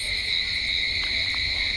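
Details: A great many crickets calling together at night, a loud, dense, continuous high trill in two steady pitch layers, with a couple of faint short clicks in the middle.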